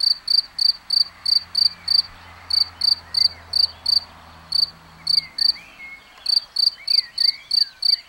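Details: Cricket singing in plain view, giving a run of sharp, high-pitched chirps about three per second, broken by brief pauses, over a low hum and faint distant bird calls.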